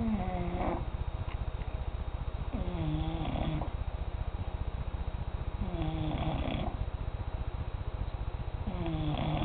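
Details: Sleeping pet cat snoring, with a continuous low buzzing rattle under drawn-out breathy snores that repeat roughly every three seconds. Nothing else stands out.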